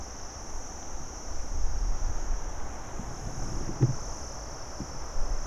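Crickets keep up a steady, high-pitched trill over a low rumble of background noise.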